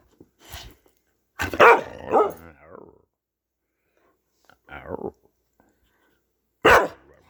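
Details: Dog getting vocal while playing: loud, harmonic bark-like yelps, one long bout near the start followed by a shorter burst and a final sharp bark, with silence between.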